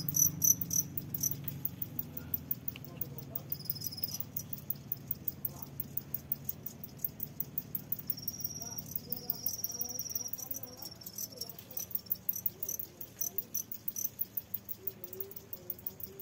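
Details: Crickets farmed in a box as fishing bait, some hiding and laying eggs: rapid, regular high chirps pulsing about three or four times a second, with faint rustling and a soft voice in the background.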